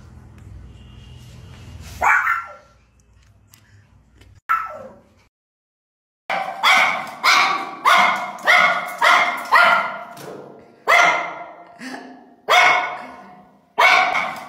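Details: Pekingese puppy barking excessively and nonstop: two isolated sharp barks, a short silence, then a steady run of loud, harsh barks with strong harmonics repeating roughly once a second.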